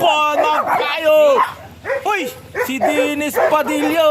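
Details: During a breeding of Beagles Uranos and Rhida, high curved yelps and whimpers come in quick bursts, dipping and rising in pitch, broken by brief pauses, while people speak nearby.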